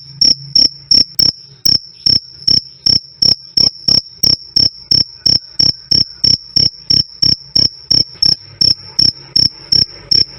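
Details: Continuous cricket chirping, "krik krik" from jliteng (black), forest, collar and cliring crickets, intended for bird song training or keeping mice away; bright, piercing pulses near three per second, very regular, with slight low rumble.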